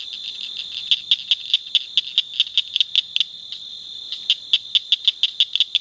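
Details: A Blanchard's cricket frog calling along the Nueces River bottom in La Salle County, Texas, gives sharp, metallic clicks in a rapid series, like pebbles tapped together.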